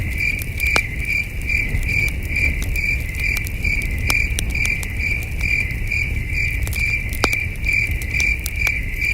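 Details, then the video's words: Distant crickets chirp in a steady high-pitched pulsing trill on a starry night in the wilderness, with frequent crackling pops from a campfire and a gentle low rumble of breeze. "Camping Under a Million Stars with Soothing Cricket Sounds"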